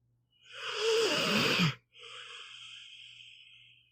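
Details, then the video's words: Meatball, a pit bull, asleep and snoring: a long, hissing, airy inhale of about a second and a half, a brief pause, then a softer, steady breathy exhale fading out. "One hour of a snoring dog"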